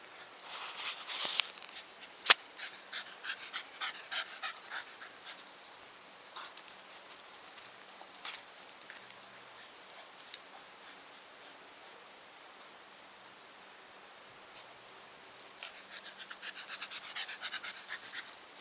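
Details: Nikita, a Staffordshire Bull Terrier, panting in quick rhythmic breathy bursts, strongest over the first five seconds, fading to quieter breathing, then a second run of fast panting in the final three seconds; one sharp click near the start.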